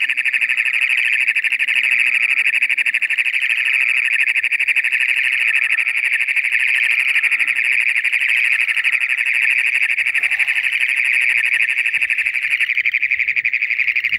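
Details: Toads give a loud, steady high trill, a rapid buzzing pulse that runs on without a break; a mating call at the start of toad season, as moisture comes in.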